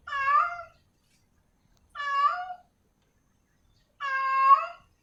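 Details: Female cat in heat calling for a male; three long, clear harmonic meows rising slightly at the end, spaced about two seconds apart in a quiet room.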